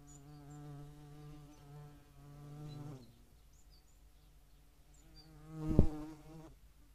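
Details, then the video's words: European hornet at a feeding site shared with median wasps, Dohr in the Eifel, 11 July 2022: a steady, low, droning wing buzz for about three seconds, then a brief quieter buzz near the end. "Europäische Hornissen und Mittlere Wespen am Futterplatz"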